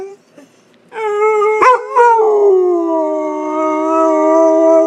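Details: Pet Pit Bull in a howling contest with a person: after a short quiet start, a long steady howl that breaks and wavers, then settles into a level, slowly sinking tone.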